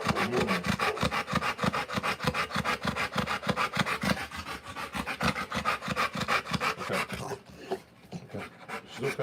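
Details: Rottweiler giving birth to puppies, breathing in fast rhythmic pants about three per second, each a broad rasping burst, steady for most of the stretch before fading near the end.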